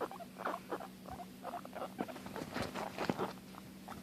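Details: Pet guinea pig that gets upset when she cannot find or see her sister, calling with a series of short squeaks in uneven bursts, plus a steady low hum in the background.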